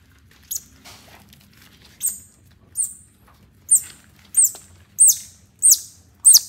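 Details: Pet baby otter following a mother cat, giving high, thin whistled chirps, each arching then falling, about eight in six seconds. They come every half to three-quarters of a second and grow louder toward the end, over a faint low rumble.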